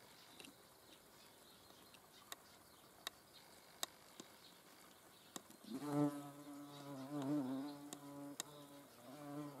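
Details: Hornet in flight: a low, steady droning buzz with strong stacked harmonics starts abruptly partway through and wavers slightly in pitch until the end, preceded by scattered sharp clicks over a quiet background.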